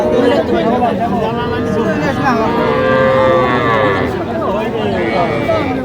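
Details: Calves and young bulls at a cattle market in Jamalpur, Bangladesh, 19 August 2025, where farmers buy small bulls and heifer calves. Several harmonic, wavering moos rise and fall over constant bargaining voices and crowd chatter.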